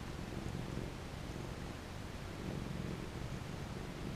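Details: Domestic cat purring contentedly while being petted: a low, continuous rumbling purr with steady pulsing texture throughout, gently swelling in places, over faint broadband hiss and soft rustling.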